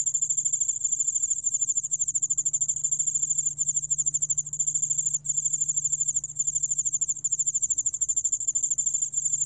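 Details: Yeoul-allak-bangul-beolle cricket, a 2020 recording from Korea's National Institute of Biological Resources: continuous thin, high-pitched pulsing trill with fast even beats and a brief dip near the middle, over a soft low background hum.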